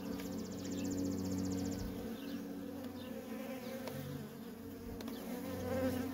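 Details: Busy feral honey bee colony with constant worker traffic: layered droning buzz, several bees passing near with shifting pitch, and a brief higher rattling sound early on over the steady hum.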